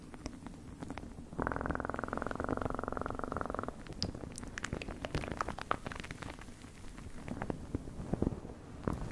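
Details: Cat purring: a loud, buzzing, rhythmic rumble for about two seconds, then quieter rustles, taps and faint lingering purr.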